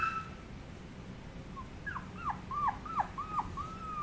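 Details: Chihuahua puppy giving a run of short, high whimpering squeaks, each bending down then up in pitch, about six in quick succession over the last two seconds, over a steady low background hum.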